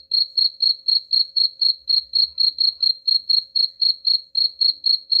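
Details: Chirping cricket, meant as a rat-repelling sound: high, ringing pulses repeated evenly, roughly four each second, throughout.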